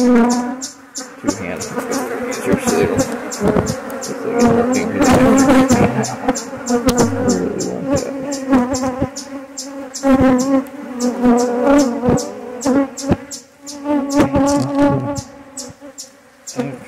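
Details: A relocated honey bee colony being inspected: a sustained low buzzing drone rising and falling in loudness over many seconds, with a rapid regular ticking behind it and occasional voice.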